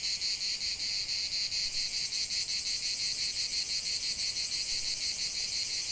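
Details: Many cicadas calling together in nature, a loud metallic hiss pulsing evenly about three times each second, steady and uninterrupted.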